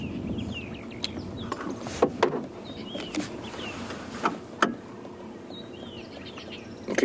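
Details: At sunrise on 8 February in Sabi Sand, South Africa, an upset squirrel gives sharp, irregular clicking alarm calls at lions lying in the road, over a steady safari vehicle rumble and faint whistled bird notes.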